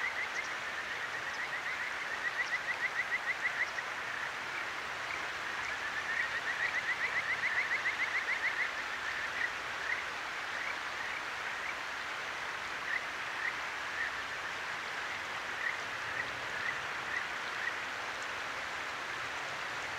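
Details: By a clear stream at night in Tokyo's Akigawa Valley, captured on a ZOOM H6, a Kajika frog delivers two bursts of rapid rising whistles, then sparse single notes, all under loud flowing water.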